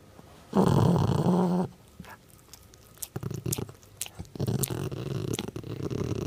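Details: Pet dog making funny growling noises: one loud, low, rough growl of about one second, then softer scattered rumbles, clicks and shuffling sounds.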